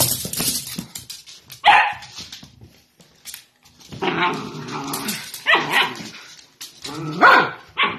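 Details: Playful miniature dachshund barking in short, sharp bursts, several yips spaced roughly a second apart over rustling and clattering household noise.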